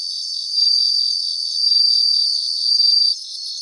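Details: Bell crickets in Japanese grassland: a clear, high, silvery trill rises in three loud swells across about two and a half seconds, then drops back to a faint pulsed background chorus of other singing insects.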